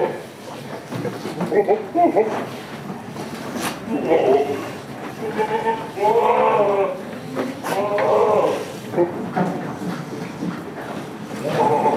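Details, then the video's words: Goats at a village farm keeping Damascus and Jamunapari breeds, giving wavering, quavering bleats around six and eight seconds in, with a few shorter calls between, over steady human talk nearby. "Damascus Goat and Jamunapari Goat Farm in village"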